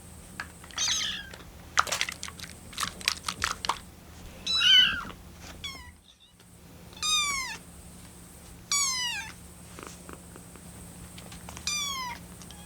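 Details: Rescued kitten, 25 days in care, crying impatiently while waiting for its milk to cool; rapid quavering, bird-like mews with trilling vibrato, then several clear falling meows spaced about two seconds apart, indoors.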